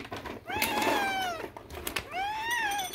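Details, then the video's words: Adult male cat whose high squealing meows sound like a kitten's, calling around feeding time indoors: two arched, whiny meows, each rising then falling, with light clicks and taps between them. "he LITERALLY only sounds like an actual kitten"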